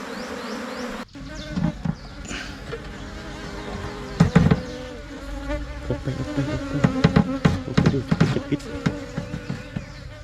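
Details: Swarm of Asian honey bees (Thai cavity-nesting bees) splitting off and settling into a new hive box, giving a continuous low drone under repeated clicks and tapping bursts from handling.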